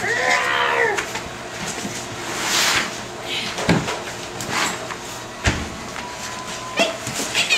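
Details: Five-and-a-half-week-old bulldog pups at play-fighting indoors open with a rising and falling whining yelp, then give scattered scuffles, thumps and a thin squeak late on, amid room noise.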